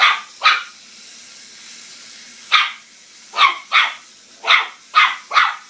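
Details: Maltese barking at a toy mouse in a string of short, high, yappy barks, mostly in quick pairs, against a constant hiss.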